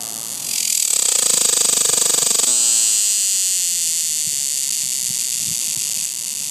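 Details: A cicada on a tree, recorded up close, gives a loud, buzzing, high-pitched drone with a rapid pulsing rattle at the start.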